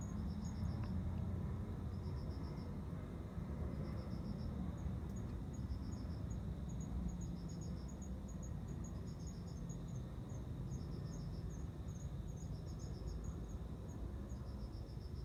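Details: Courting male cricket singing to a female ahead of mating; faint high chirps of several pulses each, repeated about every one and a half to two seconds, with a quick run of thin ticks midway, under a constant low rumble.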